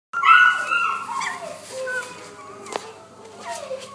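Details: Male Pomeranian, dated 2-10-12, giving a loud high whining cry that slides downward, followed by softer, shorter whines around two and three and a half seconds, with a sharp click near the end.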